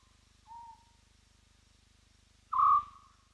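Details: At Roy's Dam a spotted hyena whoops on a live wildlife camera: a faint short hoot, then about two seconds later a loud, even tonal whoop that fades downward, with a constant low mechanical hum beneath.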